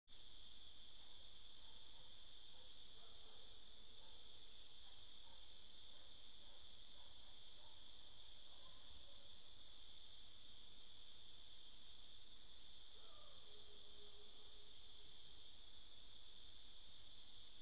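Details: Crickets singing at night: a steady, unbroken high-pitched trill runs without pause through the whole recording over a constant low hum, with faint soft murmuring in the background.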